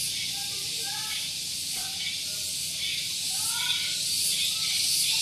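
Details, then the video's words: Morning cicada chorus at Gunung Geulis, Bogor, West Java, recorded close to a parking area: a dense, shrill continuous buzz that swells slightly toward the end, with faint scattered chirps and a distant voice underneath. "Santuy Pagi Ditemani Suara Tonggeret"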